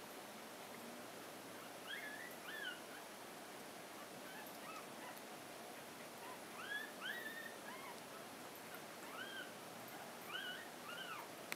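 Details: Ten-day-old Miniature Pinscher puppies, born 14 June 2013, give thin, high squeaky whines that rise and fall in overlapping bursts.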